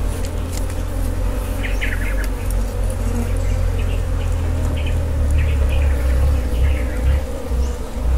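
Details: Wild honey bees during a honey harvest give a continuous low hum over heavy rumble, with bursts of small bird chirps around the middle and near the end.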